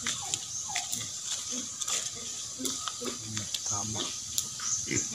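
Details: Farm-bred native pigs grunt in low, short bursts repeated irregularly, mixed with human voices and a steady hiss of background noise.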